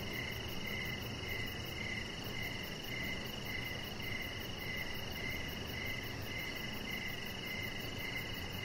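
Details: Evening crickets near a backyard deck with Rocket the chihuahua puppy resting under string lights; a regular run of bright, pulsing chirps roughly twice a second over a constant background drone.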